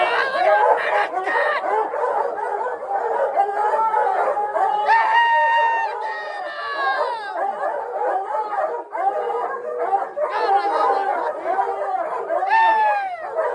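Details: A pack of hounds bays a mountain lion under a bridge in Leadore, Idaho, on 25 January 2022, many overlapping voices with long drawn-out howls rising above the din.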